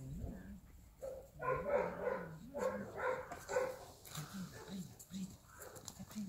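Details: Golden Retriever puppies at play give a run of short, bright yaps and yips in quick bursts, some overlapping, with a low murmuring voice underneath between barks.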